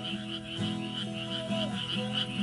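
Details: Frogs croak steadily at night in the countryside, in a high, pulsing chorus in a garden after rain under a clear sky, with soft acoustic guitar and an occasional wind chime.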